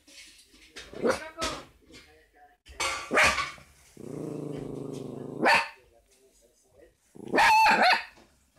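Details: Young Fox Terrier barking at the television: sharp, harsh barks in scattered bursts, with a steady electronic hum from the set in between.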